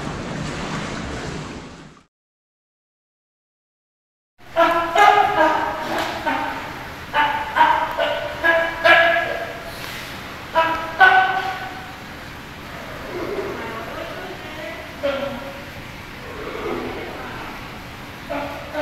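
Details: Young California sea lion Hinata at Ise Sea Paradise aquarium in Japan, grown and playing on his own: a brief noisy opening, a pause, then rapid harmonic barks repeated in uneven bursts, with people talking nearby.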